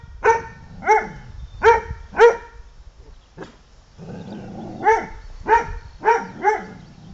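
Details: An English Pointer named Lota barks in bursts: four sharp harmonic barks, a quiet pause with a faint click, then four more barks, roughly one every half second, over a light background hum.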